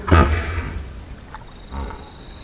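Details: Hippopotamus in a field recording: one loud, deep, rough grunting burst opens the recording, then fades into a softer low rumble. A second, quieter low grunt follows about a second and a half later, over a faint steady background hiss.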